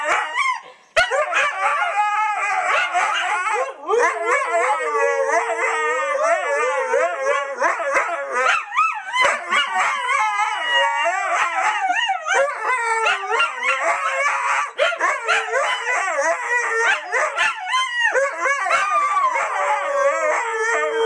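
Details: Several pet Siberian Huskies singing together: dense overlapping howls and yips, constantly wavering woo-woo phrases that blend into a continuous chorus.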